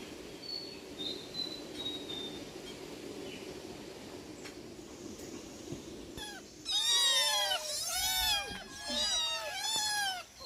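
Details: Domestic cat, one of four, calling when being fed: after about six seconds of low rustling and faint chirps, loud arched harmonic meows begin, several in quick succession, rising then falling.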